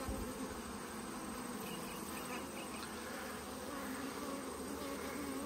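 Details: Steady low hum of a honey bee colony during an autumn hive inspection, with plenty of bees and pollen still coming in; dense continuous droning with faint higher hiss throughout.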